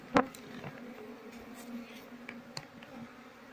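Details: Honey bees from a house colony, smoked and scraped off a cupboard into a prepared cultivation box while the queen is sought; a continuous low buzzing hum, broken by a sharp knock at the start and a few light taps.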